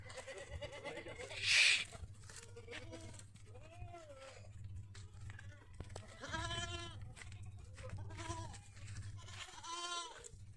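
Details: Farm goats in a Pushkar-area village of Ajmer, Rajasthan, India, giving quavering, rasping bleats roughly every two seconds in the second half, after a brief loud hiss early on, over a constant low mechanical hum.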